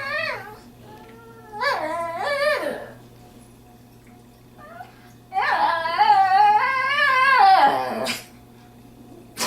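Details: Pet dog, female, on a visit to a friend's house, 'talking' to her owner because she wants to leave for home. Short rising whimpers lead into a long, quavering, humanlike moan lasting about three seconds, then silence, inside a room.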